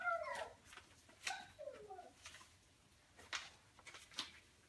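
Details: Four-week-old Golden Mountain Doodle puppies, the litter of Bella and Halas, indoors; a high wavering whine slides downward at the start, then shorter soft whimpers follow amid faint rustling and clicking sounds from the litter.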